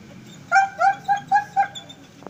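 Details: A long-coated German Shepherd gives five quick, fairly high barks in a rapid, evenly spaced burst.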